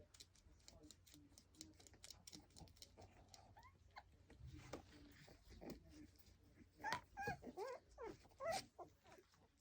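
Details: Lancashire Heeler puppies at Saturday afternoon playtime indoors, watched by their mother; soft shuffling and clicks, then a run of sharp, high yelps and whimpers in quick uneven bursts over the last few seconds.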